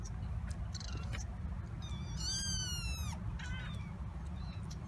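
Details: Twenty-six-day-old kittens of Tituba at Carolina Kitten Ranch, seven exploring their kitten coop in November 2017; one long, loud, wavering high meow, with softer short squeaks before and after, over constant low hum.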